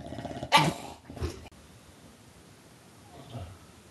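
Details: Bulldog growling and gobbling like a turkey, two short harsh throaty bursts in quick succession, followed by near silence and a faint low grunt.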